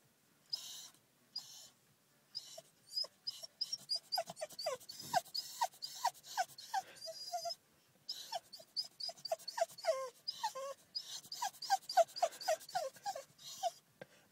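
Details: Female golden cocker spaniel whining with excitement at the prospect of a walk in her favourite place; rapid high whimpers in quick bursts, many per second, with short pauses, and a person's voice nearby.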